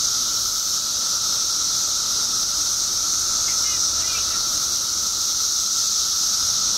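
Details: Billions of periodical cicadas emerging in Illinois after 17 years underground make a steady, dense droning chorus: a continuous high hiss with a sustained lower buzzing tone, unbroken throughout.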